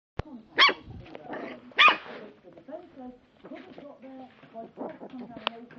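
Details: Four-week-old Lhasa Apso puppies: two sharp, high, squealing yelps early on, then softer whimpers, squeaks and low murmuring vocalisations scattered through the rest, with a click at the start.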